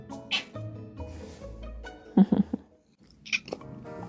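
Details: A Korean longhair cat gives short, chirping meows in quick succession over soft background music, demanding something until it gets what it wants.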